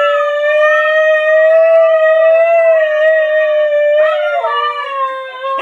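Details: A Siberian Husky at home howls while a scooter is being reversed, holding a long, steady howl that wavers slightly before breaking and dipping at the end.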